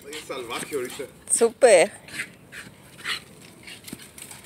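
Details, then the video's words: A worked-up Shiba Inu gives a couple of wavering, whiny yelps close together, overlapping with a person speaking nearby. "Shiba Inu going crazy!!!"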